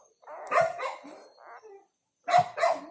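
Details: Newborn black village dog puppies, part of a litter of four, make short rough yelps and squeaks in two pairs separated by a brief pause, with a voice heard close by.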